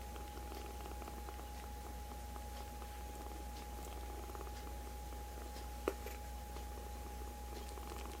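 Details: Foster-care rescue kittens piled onto a person's right hand; a steady low purring drone runs throughout, with light clicks and one sharp tap midway, over a constant background hum in a small room.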